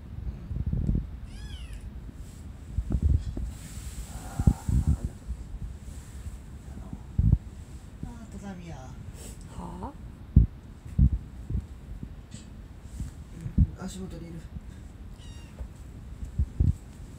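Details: One of four young sibling cats with an older brother, June 7, 2020, around feeding time; sparse brief meows with a rising-falling shape, separated by long pauses, amid clicks, bumps and quiet Japanese talk.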